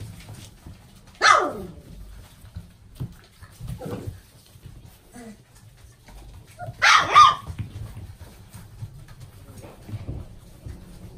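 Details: Golden Retriever with a gold coat: two sharp, loud barks about six seconds apart, with faint soft whimpers and rustling in between against a quiet background.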